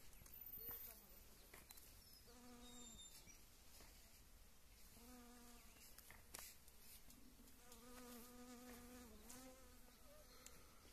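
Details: A western honey bee (Apis mellifera) foraging on blooming wild mustard in spring makes a low, steady wing buzz that passes by in several short bursts.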